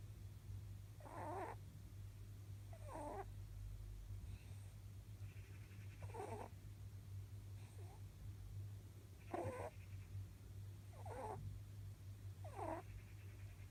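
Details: Almost eleven-year-old pet rabbit, male, snoring during a power nap: soft, breathy snores recurring roughly every one and a half to two seconds, quiet beneath a steady low electrical hum indoors.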